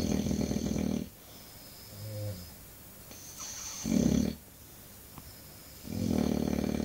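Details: Snoring English Bulldog: loud rough inhalation at the start, a short softer snort, another brief harsh snore near the middle, then a further rattling snore building at the end, quiet breathing between.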